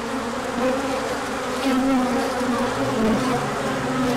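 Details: Crowd of bees out on an orientation flight once the sun came out after cold weather; a continuous buzzing drone with individual bees whining past, pitch dipping and rising, swelling slightly in loudness.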